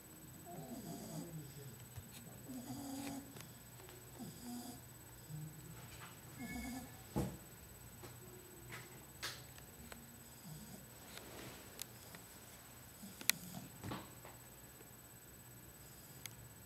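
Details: Sleeping female bulldog puppy, two months old, from Porto Alegre, snoring. Low, rumbling breaths dominate the first six seconds, then fade into quieter room sounds with scattered sharp clicks and taps.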